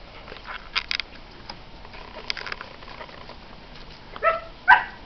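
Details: Standard Poodle puppies, nine weeks old, born 01/11/2011: soft scratchy rustling and light taps, then two short, high, harmonic yelps close together near the end.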